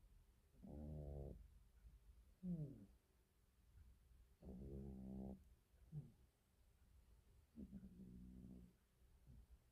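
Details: Domestic cat snoring while asleep indoors: soft, low, rasping breaths with buzzy overtones, a longer rough inhale followed by a brief wheezy exhale, repeating roughly every three seconds in a quiet room.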